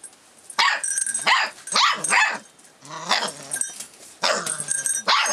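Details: Rough Collie puppy, 44 days old, filmed 25 February 2012, reacting to changes around it: high, harmonic yapping barks and whiny yips in bursts, several quick calls about every second.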